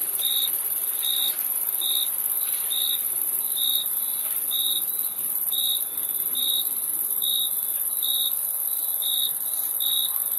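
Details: Steady chirping of crickets, with clipped, shrill pulses at roughly one-second intervals, around thirteen in a row, set against an unbroken high-pitched background hiss with no other animals or voices.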